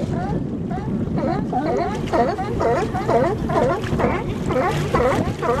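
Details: Sea lions in Nanaimo, British Columbia, barking continuously in a dense overlapping group, rough repeated barks roughly twice a second, partly blurred by low wind and boat rumble.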